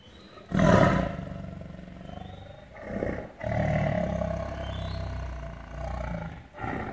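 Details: Caged, angry tiger in captivity letting out a sharp roar, then a longer rumbling roar with a growling tail, over a persistent low droning hum.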